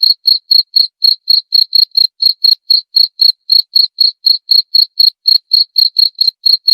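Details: Cricket calling, a lure sound said to scare away rats: crisp, high, regular chirps repeated about four times per second in a steady unbroken series against a silent background.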